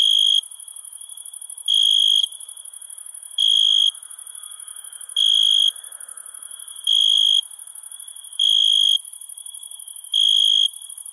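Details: Night-time crickets, with bright pulsed trills of roughly half a second returning every one and a half seconds above a steady, very high insect hum.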